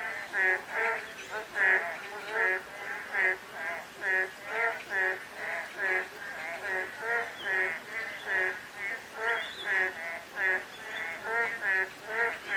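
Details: Croaking frog chorus during a light drizzle, many harsh, rattling pulsed calls swelling and fading at a brisk, uneven pace of about seventy bursts per minute, with no other clear sounds.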